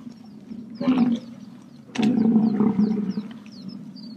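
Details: American bison uttering two short, low, growling bellows about a second apart, while small birds chirp repeatedly in the background.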